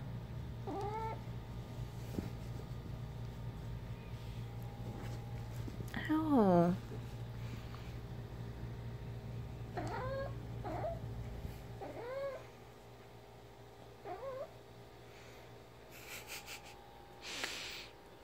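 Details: Ginger the female house cat mumbles during a game of fetch with her favourite toy: about six brief mews, one louder drawn-out meow sliding downward, set against a low hum that stops midway, with light clatter near the end.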